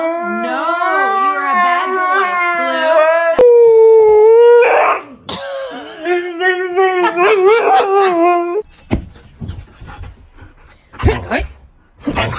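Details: Siberian Husky howling and whimpering indoors in the morning: long, wavering, yodel-like howls with rising and falling pitch for about nine seconds, then a person scolding the dog amid brief yips.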